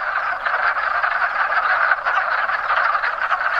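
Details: A dense chorus of many wood frogs in mating season: countless low clucking, duck-like croaks overlapping into a steady rattling din.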